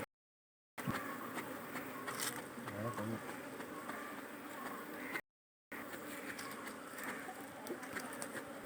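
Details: Kerala beekeeping, honey bees around an opened hive: a continuous, even, grainy buzz, broken by two short gaps of complete silence, with faint taps and rustles from hive handling.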